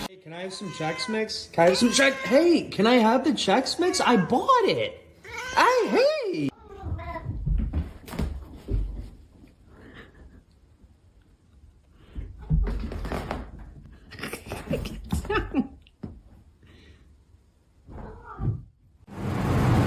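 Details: Domestic cat giving a rapid run of loud, drawn-out, wavering meows and yowls for about six seconds, then quieter scattered noises, bits of human speech and a few knocks.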